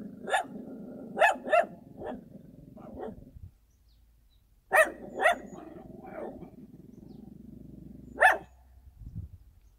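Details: Countryside dog barking in short uneven bursts: quick doubled and tripled barks, a pause of about a second, then another cluster of sharp barks and a lone final bark over a low steady background hum.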